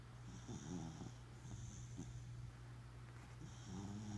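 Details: A sleeping Welsh Corgi snoring: low, rumbling breaths with a steady deep hum, a wheezy rasp on each inhale, repeating roughly every one to two seconds, with faint high hiss in the background.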